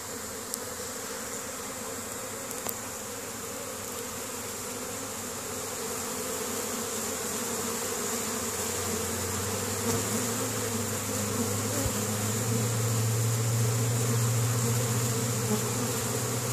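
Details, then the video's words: Spring foraging honey bees carrying pollen into their hive at Caribou, Nova Scotia, Canada, 10 May 2015: a continuous swarm-like drone that grows louder midway, with a deeper hum swelling as bees pass close by. "Honey Bees spring foraging"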